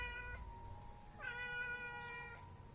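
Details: Domestic cat drinking milk, meowing twice: a short steady harmonic meow, then after a pause a longer, louder, slightly rising meow lasting about a second, in a quiet indoor setting.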